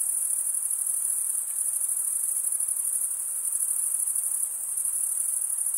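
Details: Crickets, males stridulating by rubbing one wing along the toothed vein of the other, give a dense, steady high-pitched trill that never pauses, a continuous shimmering buzz with faint rapid pulsing and no other sounds.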